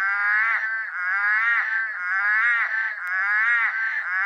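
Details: Eastern Dwarf Tree Frogs chorusing in rainforest on a very dark, drizzly night, calls all around: dense overlapping nasal, harmonic croaks pulsing about once a second without pause, a loud and steady wall of sound.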